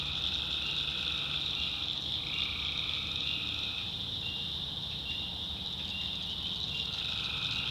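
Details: Night chorus of tree frogs in a swamp in the North Carolina backwoods: rapid, continuous high-pitched trilling from many frogs, with a lower pulsing layer that cuts in and out every few seconds over a soft low hum.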